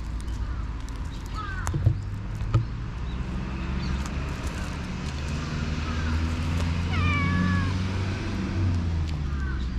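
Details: Black stray cat in a park, biting during play, GoPro HERO8 recording: a brief rising mew early, then a longer bent meow later that falls at its end, and a final short call, with low background rumble and scattered clicks.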